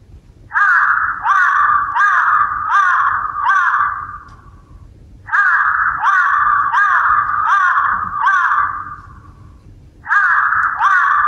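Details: A Pomeranian, during training to get used to sounds, barks at a doorbell chime: high-pitched, harsh barks in rapid runs of four or five, each run breaking off before the next begins.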